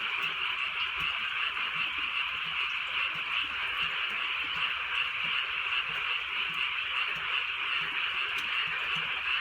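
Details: Dense chorus of many frogs on a rainy night in the countryside, fast trilling croaks merging into one steady wall of pulsed sound, light rain pattering faintly in the background.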